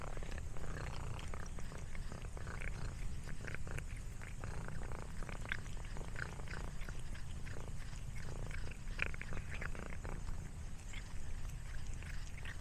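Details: Snack-eating house cat giving a soft, continuous low purr, broken by light crackling chews and small clicks.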